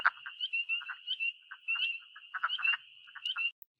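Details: Wood frogs and spring peepers call together at a vernal pool in spring: a dense, high peeping chorus over low, duck-like clucking bursts.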